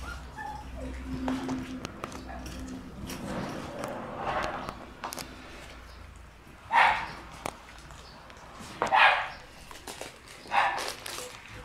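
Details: Red-coated female Shiba Inu pup born on 27 September gives three short, sharp barks about two seconds apart in the second half, after a stretch of quiet shuffling and faint voices.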